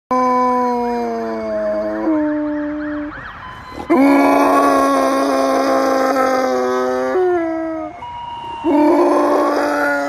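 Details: A Siberian husky "sings," howling in long, loud, held tones that step up and down between a few pitches like a tune, wavering at first then settling into tuneful phrases.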